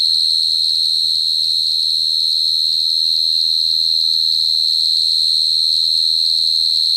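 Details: High, ringing cricket song held without pause, its rapid pulses blending into one steady tone, while faint low murmuring sounds rumble far beneath.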